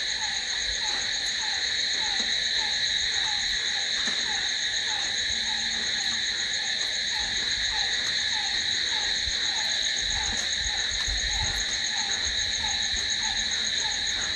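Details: Continuous high-pitched cricket trilling fills the night, steady and unbroken. A lower, regularly repeated chirp runs beneath it with faint low rumbles.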